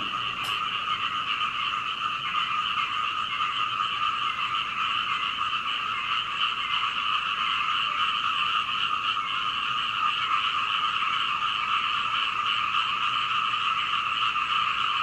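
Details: Frogs croaking all night until dawn outside a home in Hunei, Kaohsiung, Taiwan, recorded 21 May 2019 from an upstairs window with a Canon PowerShot; a loud, unbroken chorus of fast raspy pulses from many frogs, one sharp click near the start.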